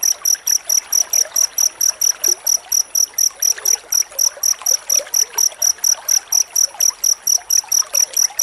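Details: Dense cricket chirping used as master material for white-rumped shama training: sharp, high, evenly repeated pulses about twice per second, with a soft stream-like hiss behind them.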